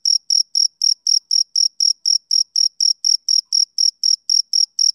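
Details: Short burst of a male cricket's summer-evening song: crisp, high-pitched chirps spaced evenly at about four per second, each pulse clean and tonal over total quiet.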